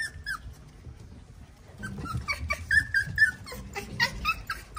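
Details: Five pug puppies attacking a cat out of curiosity; a short yelp, a pause, then a run of high whines and squeaky yips with soft scuffling.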